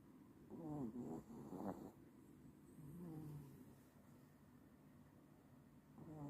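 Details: Dog named Mio snoring while asleep: low, rasping harmonic snores with a faint whistle, about three quick breaths around the first two seconds, then a quieter lull before another snore starts at the end.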